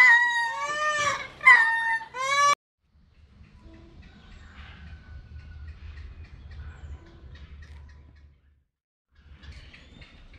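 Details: A captive lemur at a zoo in León, Guanajuato, Mexico gives loud, mournful, lament-like wailing cries in two quick bursts, then falls silent.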